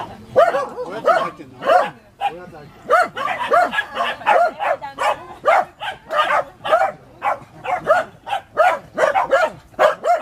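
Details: Corgi puppies Milk and Kokoro, facing off, filmed on a GoPro HD HERO2: sharp, high yapping barks fired in quick bursts, two or three per second, for the whole stretch, with brief gaps between volleys.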